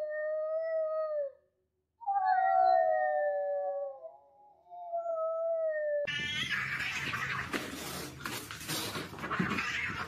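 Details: Fighting cats: long steady moaning yowls broken by a short silence, a second wavering wail that bends down, then a burst of harsh hissing, spitting scuffle noise.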